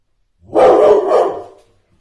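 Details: One-year-four-month-old Airedale Terrier in Poland lets out one full, rough bark that fades over about a second; no other sounds.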